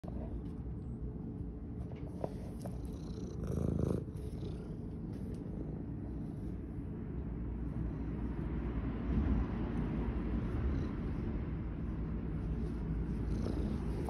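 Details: Tabby cat from a rescue in Philadelphia, Pennsylvania, purring while being kissed: a steady low rumbling purr that runs throughout, with a brief louder kissing burst near four seconds and faint background hiss.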